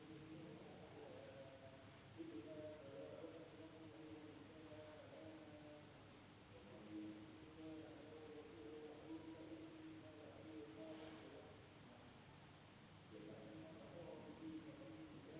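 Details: Night-time insect chorus from an Indonesian village, a continuous thin high whine holding level throughout, with lower humming, warbling tones drifting in and out and a soft constant rumble beneath.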